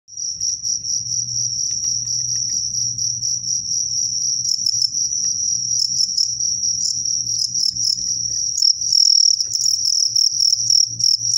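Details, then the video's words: Crickets set to fight, called jangkrik in Indonesian, one a strong fighter and one described as crazy: a continuous high, shrill trilling chirp held steady throughout, with rapid pulsed bursts layered above it and faint low rustling beneath. "JANGKRIK KUAT(SOTANG) VS JANGKRIK GILA"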